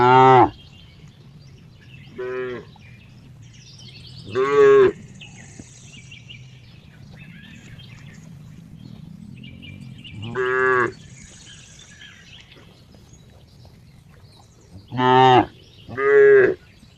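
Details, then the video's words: Cow giving a series of short harmonic moos, some brief and clipped, others longer and strained, spaced irregularly across the stretch with two close together near the end, over a low steady background hum. "cow funny sound"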